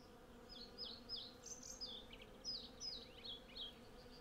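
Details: Hundreds of western honey bees collecting from a blossoming cherry tree, recorded with a Zoom F6 and Sennheiser MKH 8040: a steady low droning hum beneath frequent loud, high, swooping bird chirps repeated roughly every third of a second.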